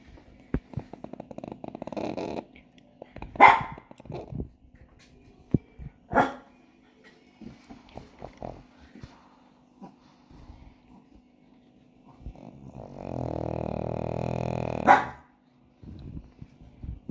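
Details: Pug snoring indoors in Kolkata, a lazy, plump dog; low rasping breaths come in irregular bursts, with a long droning snore near the end and a few sharp knocks and rustles.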